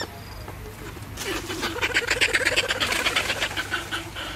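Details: Baby monkey named Peter crying loudly while eating fruit, a burst of rapid harsh squealing cries repeated almost three times a second, starting after a second of low background hum and rising in intensity.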